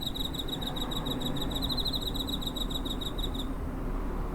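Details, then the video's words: Recorded by a home on 7 September 2023 with a TASCAM DR-05, a cricket produces one continuous high, finely pulsed trill for about three and a half seconds, then falls silent, leaving low rumbling noise. "Cricket chirping (コオロギの鳴き声"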